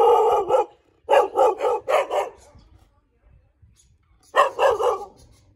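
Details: Thai Bangkaew dog barking: a run of four rapid, harsh, mid-pitched barks, then a pause with faint rustling, then another quick burst of four barks at roughly four per second.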